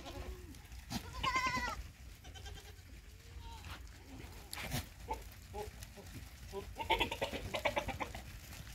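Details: Sirohi goat bleating at a farm in Nagaur district, Rajasthan: a short trembling cry early on, softer bleats and scattered knocks and shuffles between, then another wavering bleat near the end.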